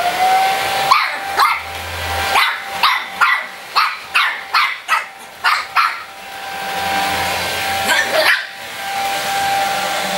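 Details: Three-month-old Shih Tzu puppy barking at a running hair dryer: a string of sharp, high yaps in quick bursts, about a dozen over ten seconds, over the dryer's steady whirring hum.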